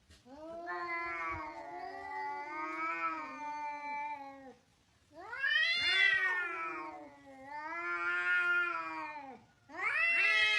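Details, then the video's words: Angry cat yowling in long, harsh, wavering wails, four drawn-out cries separated by brief pauses, the later ones louder and sweeping upward before sagging back down. "Cat sound angry sound"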